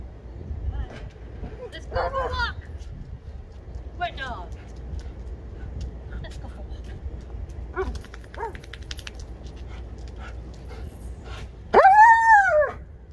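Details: Female German Shepherd vocalising to tell her owner what she wants, answering talk about going for a walk: short, wavering whines and yodel-like cries, ending in a loud, rising-and-falling howl-like moan, with a woman talking between them.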